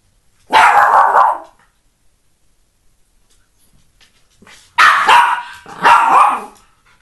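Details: Three-year-old Norfolk Terrier attacking a balance ball gives loud, harsh barks: one drawn-out bark near the start, a quiet pause, then two more barks in quick succession. Little else is heard.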